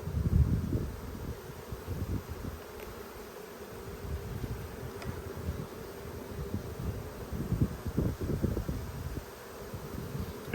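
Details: Honey bees buzz steadily over a frame heavy with pollen while a strong colony is inspected in Australia during a dearth, 5 February 2022. The even drone is broken by repeated thuds of frames being handled.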